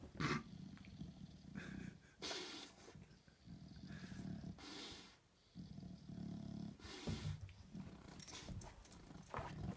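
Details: English Bulldog Buster, stuck on his back like a turtle, gives low rough grunts and straining snorts in repeated bursts, with broad huffing breaths between them and scuffling movement.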